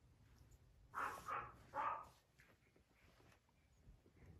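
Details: A French Bulldog kept by a breeder in Okayama, Japan, lets out three rough, clipped barks within a second, followed by low background rustling and faint room noise.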